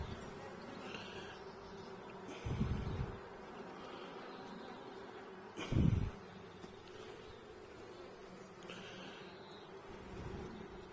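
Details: Hive inspection of a honey bee colony started from a nucleus seven weeks earlier: continuous low buzzing hum broken by two heavy thumps of frames being handled, around the third and sixth seconds.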